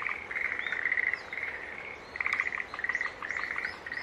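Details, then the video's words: Green tree frogs calling in a busy chorus of short, buzzy notes in uneven bursts, while higher chirps and brief whistled sounds from other creatures are scattered above. "Sounds of Green Tree Frog Call"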